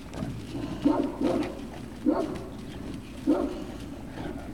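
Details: Puppy Hill Great Dane puppies, 3 June 2019: four brief yapping barks, the first two nearly doubled and the others spaced about a second apart, against a low murmuring background.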